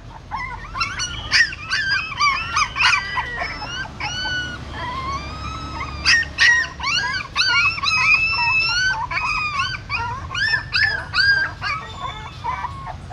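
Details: Newborn puppies of a female dog born in a stupa hole at a pagoda in Siem Reap, while their mother carries them in her mouth to another place: many high, squeaky, up-and-down whimpers overlapping rapidly and continuously.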